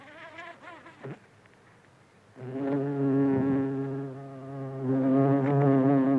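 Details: Close-up of a buff-tailed bumblebee (Bombus terrestris) feeding from flowers. A steady, deep, droning buzz starts after two seconds and wavers slightly in pitch and loudness, following faint, softer buzzing at the start.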